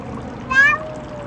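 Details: Bengal cat during a Christmas card photo attempt, giving one short, bright meow with a quick rise and fall, set against quiet room noise with a person speaking to the cat.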